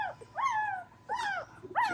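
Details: Dobermann puppies of a spring 2022 litter whining while feeding from their mother indoors: three rising-then-falling squealing whimpers, each under half a second, repeated roughly every 0.7 seconds over faint rustling.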